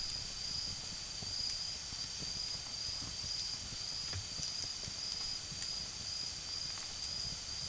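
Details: Autumn insects calling in a home garden on an autumn night as a campfire burns, their even, sustained high trill set against a hissing background and frequent small crackles from the embers.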